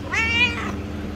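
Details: A single short, bright meow from a pet cat, rising quickly and holding briefly before fading, over a low background hum, with a woman talking in Hindi nearby.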